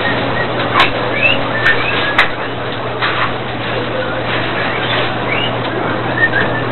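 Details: Farm-raised guinea pigs in Sandoná, Nariño, Colombia: several short, high squeaks and upswept chirps at uneven intervals, with a few sharp clicks over a constant low hum and busy background noise.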